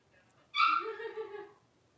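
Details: A blenheim Cavalier King Charles Spaniel puppy, one of a litter of five born at New Year, in its new larger pen: one high, tonal whining yip that starts sharply and slowly fades over about a second in a quiet room.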